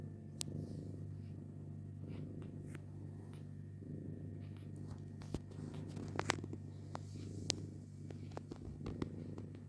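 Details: Continuous low, grainy purring from cats kept with their kittens, unbroken across the stretch, punctuated by frequent small clicks and taps over a steady background hum.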